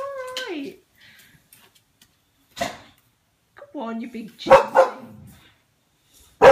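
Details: Boxer dog indoors, frightened of a balloon, gives a short descending whine followed by a few sharp barks while a woman keeps coaxing and reassuring it in a small room.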